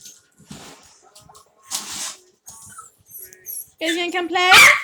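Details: During play among Chloe's litter of Havanese puppies indoors in an office, quiet rustling and light taps give way at the end to a burst of shrill, quavering yips and a rising squeal.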